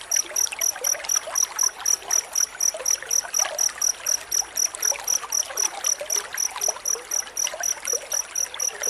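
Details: Dense cricket chirping recorded as training material for magpie-robins: rapid, regular high-pitched pulses, about four per second, with two bright tonal bands, over a soft trickling background.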